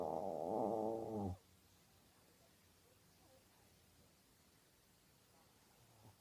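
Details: Asleep, the Maltese Ulppukku lets out one rough, vibrating snore of just over a second, followed by several seconds of near silence in a quiet room.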